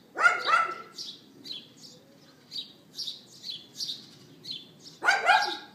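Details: Yapping dog next door, filmed by iPhone 4S at 11:31 AM, April 18th 2012. A quick double bark opens, birds twitter through a pause of several seconds, then another burst of two yaps follows.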